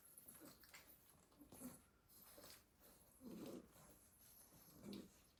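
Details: A pile of Staffordshire Bull Terrier puppies asleep in a basket, worn out from a day of garden play, giving soft, rough snoring breaths at uneven intervals, with louder snuffling snores near the end, indoors and otherwise quiet.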